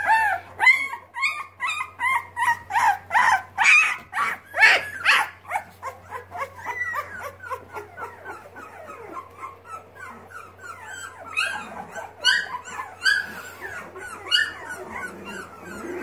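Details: Boxer puppies learning to walk, one known as the crier; loud rhythmic cries repeated about twice per second, each a strained yelp, fading into a background of softer squeaks from littermates, with a steady low hum.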